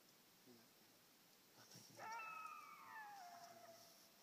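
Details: Coyote howling toward an electronic caller: after faint murmurs, a strong howl begins high and slides steadily downward for about a second and a half, then fades out.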